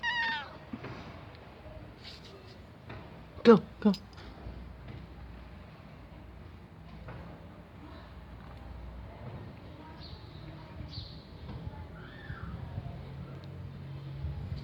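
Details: Old, hungry and thirsty female cat found in a garage, meowing for food: two short, loud, harmonic-rich meows close together near the middle, with fainter calls and low background hum around them.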